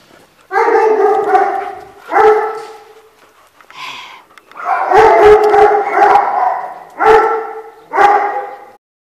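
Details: Rescue dog from an animal welfare shelter giving drawn-out, harmonic howling whines, about five long cries in bursts with short pauses between them, loud and close, with no other clear sounds.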